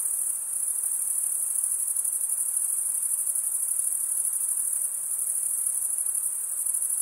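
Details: High, even stridulation from chirping male crickets, their serrated wing veins producing a constant rapid-pulsed trill with no pauses, over soft background hiss.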